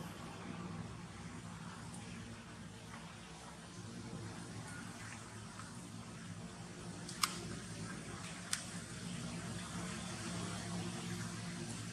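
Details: Quiet indoor background hum, broken only by two sharp clicks, with no animal voice heard.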